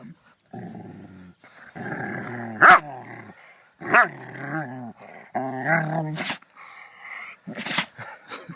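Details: Rottweiler described as angry and sneezing: low grumbling growls and moans give way to two sharp, explosive, hissing bursts near the end, each a sudden sneeze separated by a short groaning rumble.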